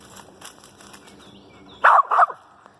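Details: Lakebottoms Pocahontas, a female dog, with a squirrel treed: after quiet outdoor background and faint voices, two loud, harsh barks come in quick succession near the end.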